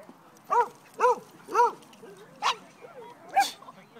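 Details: At a Pasadena park, dog Pao barks at other dogs while playing with Teddy; quick series of five or six clear, pitched barks roughly half a second apart, some harsher and noisier, with light background chatter.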